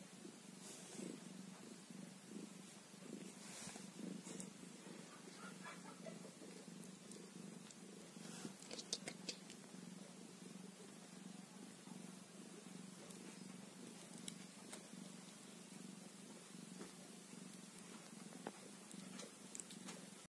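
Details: Newborn kitten, one day old, purring in a long unbroken low drone with a fast steady flutter, accompanied by occasional rustling and tapping noises.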